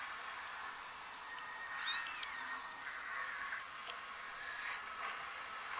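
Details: Domestic cat giving a single short meow with stacked harmonics, rising then falling, under a steady hiss of background noise and a few faint knocks afterward.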